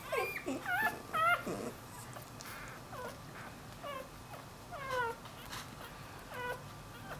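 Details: Puppy whimpering indoors: a cluster of yelping whines at the start, then scattered softer falling whimpers separated by pauses, over a low room hum.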